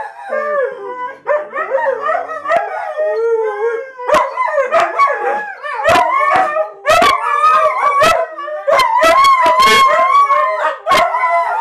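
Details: Several huskies in a busy household howl in chorus, dense overlapping wavering howls and yodel-like yips, with frequent sharp clicks and bursts as the singing grows louder and more crowded.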